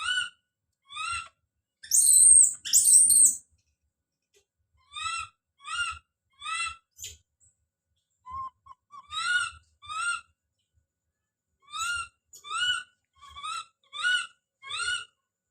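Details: Baby monkey Don calling out: a loud double shriek early, then many short upward-sliding whistled cries in pairs and triplets, about one per second, with pauses.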